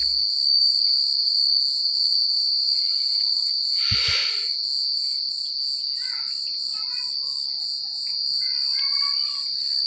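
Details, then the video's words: Crickets sing through a country night in a steady piercing trill beaded with quick pulses. A single soft thump or rustle breaks in near the middle, and faint fluttering chirps follow. "The Sound of Crickets at Night"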